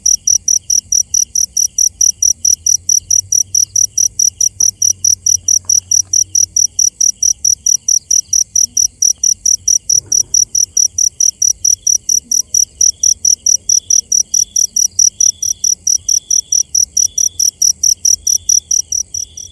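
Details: At night a cricket keeps up a rhythmic, high-pitched chirp, about three quick pulses a second, steady and loud, with a brief soft knock midway and quiet low background noise.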